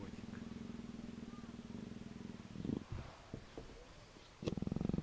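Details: Affectionate Persian leopard, nuzzling, purrs steadily in low rapid pulses for over two seconds, then soft shuffling and thumps, before the rumbling purr resumes loudly near the end.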